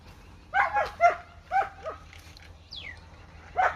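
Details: Rottweiler mother feeding milk to an Indian-breed puppy: a rapid irregular run of short yelping barks, about two per second, with a brief high falling squeak in a pause before a final bark.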